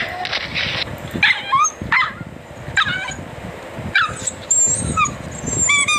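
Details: Dachshund in a compilation of funny dog and puppy barking: high, squeaky yips and whining barks with bending pitch, fired off in short irregular bursts over a noisy room background.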